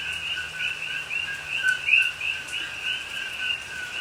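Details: Night chorus of coqui frogs in rainy Hawaiian rainforest near Pahoa, recorded October 2021; many callers overlap in quick two-part chirps, one nearer frog giving a sharp upward-sliding whistle near the middle, over a low background hiss.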